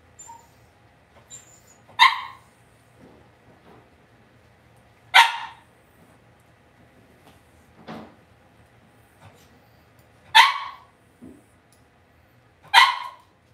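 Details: Cavalier King Charles Spaniel puppies in an indoor home puppy pen give four sharp, high-pitched yapping barks, spaced irregularly about two to five seconds apart, with a softer lower yelp between them and quiet background.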